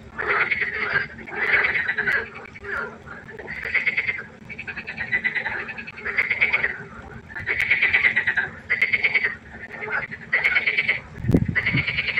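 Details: Night-time frog concert beside a pond, with grating, rattling croaks in distinct one-second bouts repeated at a regular pace, a few voices overlapping, and a brief low thump near the end.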